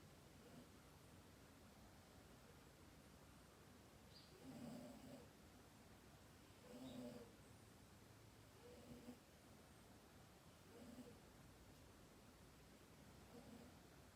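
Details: Pet cat named Dayako snoring while asleep indoors; soft, low rasping breaths recur about every two seconds, each a short nasal rumble with a faint higher overtone, over a steady quiet room hiss.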